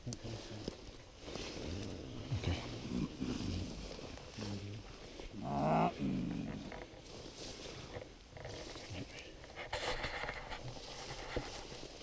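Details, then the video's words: Mountain gorillas in Volcano Park, Rwanda, excited: one loud harmonic call of about a second, rising then steady, at mid-clip, among softer grunts and rustling, with people talking quietly nearby. "Excitement and sound of mountain gorillas"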